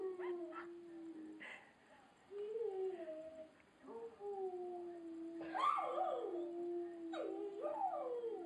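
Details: Rottweiler joining in with a chorus of howls while watching a clip: drawn-out smooth tones with slight rises and falls, broken by short yelping, wavering rising-falling notes, a few higher overlapping voices near the end.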